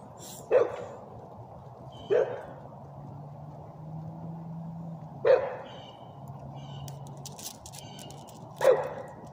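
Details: A male English bulldog gives four deep, gruff barks, spaced unevenly a few seconds apart.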